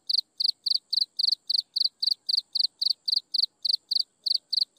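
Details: An insect chirps steadily at sunset, giving high, bright pulsed chirps about four times a second.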